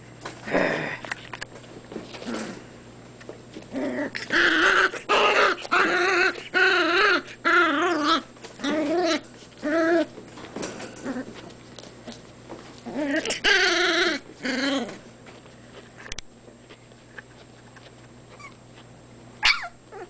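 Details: Irish Terrier puppies, 28 days old, whining and yelping in wavering, high-pitched bursts. The loudest runs come from about 4 to 10 seconds and again near 13 to 14 seconds, with quieter shuffling and a steady low hum between.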